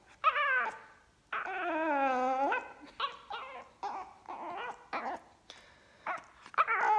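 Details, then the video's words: A fawn Pekingese puppy with a black mask 'talks' in whiny, yodeling moans and yips that rise and fall, upset that his feline sister found his food bowl. Pekingese. "Talking Pekingese Puppy"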